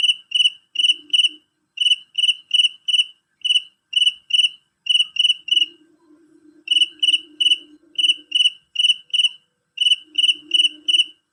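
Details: Male cricket calling loudly and shrilly, giving bursts of high, ringing pulsed chirps in groups of two to four, repeated steadily with brief pauses, and a faint low buzzing in the background.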